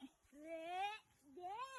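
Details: A domestic cat that stayed out all night until morning gives two drawn-out, rising, tonal meows, each about 0.7 seconds long, with a short quiet gap between them, in a quiet indoor setting.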